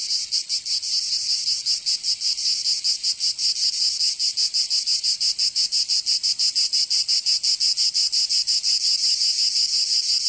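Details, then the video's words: Southern French cicadas singing in Provence during summer: a bright, metallic hiss with a quick pulsing beat, uneven at first and then settling to about three per second. "Canto Cigarra"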